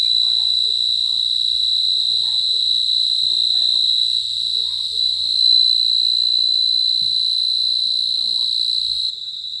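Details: Shrill cricket trill held steadily throughout, with faint, soft murmuring sounds underneath.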